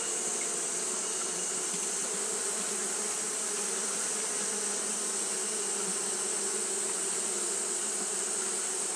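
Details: On a hot day, Japanese honey bees keep up their fanning, producing an even, continuous buzzing drone with a sustained high sizzling band above it, unchanging in loudness.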